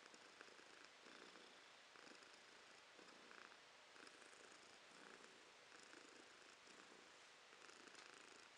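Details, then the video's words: Domestic cat Romashka purring in January 2023, an even vibrating rumble in repeated waves about every second, alternating slightly stronger and weaker breaths, close to the microphone. "Кошка Ромашка урчит:)"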